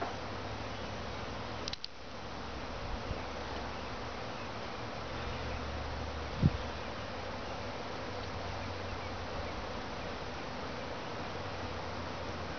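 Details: Backyard honey bee swarm giving a steady, dense droning hum with a low buzzing undertone throughout, broken only by a brief knock near the middle.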